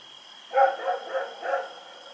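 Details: Four barks in quick succession, the first loudest, from a dog roaming at night in Pyrga, October 7, 2018, over a steady thin electronic hum.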